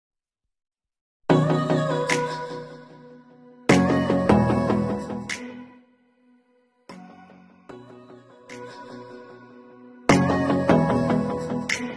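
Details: Instrumental music with sustained tones and struck chords, in separate phrases broken by short silences, with no animal sound heard.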